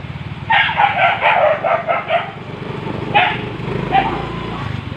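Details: Barking of street dogs in mating season: a quick run of about six barks in under two seconds, then two more single barks, with a low engine hum running underneath throughout.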